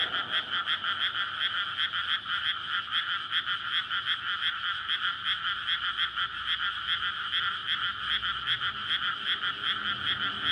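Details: Night chorus of frogs in a May rice paddy freshly flooded before planting, a courtship gathering for egg laying near a road, recorded on a SONY PCM-D100. Dense, rhythmic croaking pulses fill the air continuously over faint low background hum.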